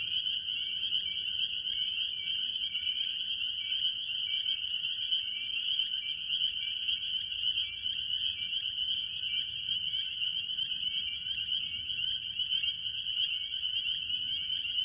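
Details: Spring peepers and other tree frogs in full chorus at a farm pond early in the year. High-pitched peeps stack into a continuous shrill wall of sound, with rapid lower pulsed notes running through it.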